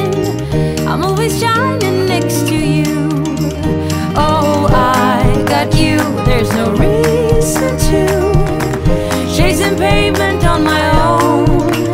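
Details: Upbeat music with singing fills the whole stretch, with no animal voices audible.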